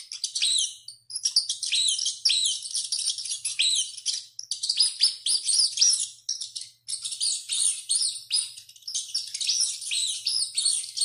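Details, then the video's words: Rat screaming a lot while running: dense, high-pitched squeaks with arching, slightly harmonic contours, overlapping in rapid bursts with brief pauses near one and seven seconds. "SOM DE RATO CORRENDO E GRITANDO MUITO"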